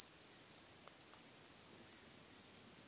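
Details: Intermediate Cross-backed Grasshopper, Zalahalap, Hungary, July 2022: five brief high-pitched chirps spaced about half a second apart in a quiet setting.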